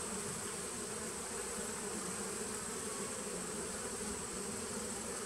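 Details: Recorded 19 September 2018 at a 2017 honey bee nuc: constant massed buzzing, a deep steady drone layered with airy hiss, unchanging from start to finish.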